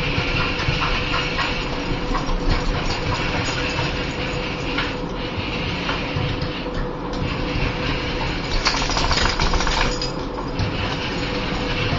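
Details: Continuous engine-like rumble and broadband noise with a faint steady hum, and no animal sound.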